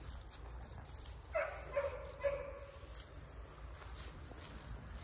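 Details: Huge black Great Dane, recorded 10/08/2022, giving three short tonal barks about half a second apart, with low rumbling background noise outdoors.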